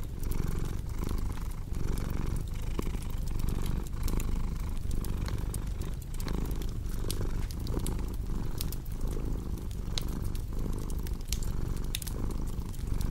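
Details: Domestic cat purring steadily in a deep low rumble that swells and dips with each breath, roughly once a second, over the sharp pops and snaps of a crackling fireplace.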